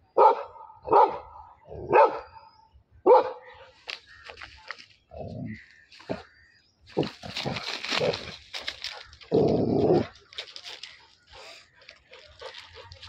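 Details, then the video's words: Labrador Retriever fighting with a buffalo: four sharp, loud barks about once per second open the scene, followed by excited human shouting, scuffling and heavy low rumbling noises with scattered yelps. "Labrador fight with Buffalo"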